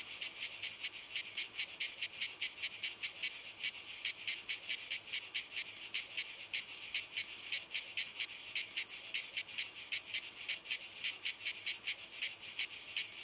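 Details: Several cicadas sing on walnut trees. A strident, high rasping chorus beats in even pulses about two or three times a second for the whole stretch.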